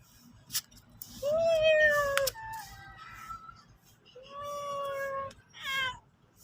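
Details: A pet cat, said to be sulking, gives two long drawn-out meows, the first steady and the second slightly falling, with a short higher mew at the end and a faint click early on.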